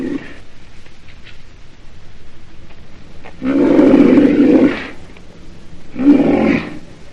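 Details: Deep, rough bellowing from a rhinoceros: a faint tail of a call at the start, then a loud growling roar lasting over a second, followed by a shorter burst; quiet gaps between.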